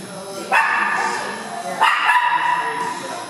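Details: Foster dog Cisco plays with Harley and an Italian greyhound in an indoor dog park, Lumix recording. Two sharp barks about a second apart, each trailing into a sustained reverberant ring in the hall.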